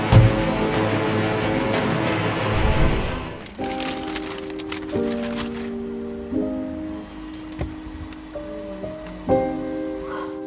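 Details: Dense music gives way to sparse sustained keyboard notes over a soft background hiss, and no animal sound is heard.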